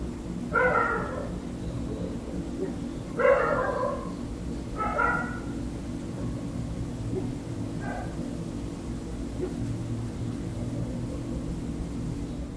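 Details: Dogs barking at night beyond an open window, heard from an indoor room: three clear barks about two seconds apart, then fainter, distant ones fading out, against low constant room hum.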